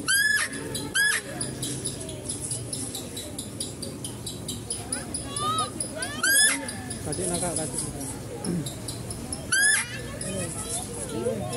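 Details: At a zoo, a female deer calls as visitors feed the stags: repeated sharp, high squeals, several in quick succession early and two more later, mixed with people talking and constant chirping in the background.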